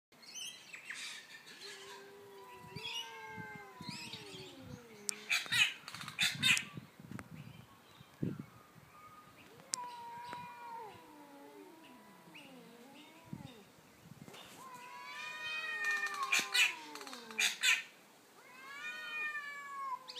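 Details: Two domestic cats, an orange one and a black neighbour from two houses down, fight over territory in daytime; long wavering yowls slide up and down in pitch, overlapping one another, with short bursts of hissing between them.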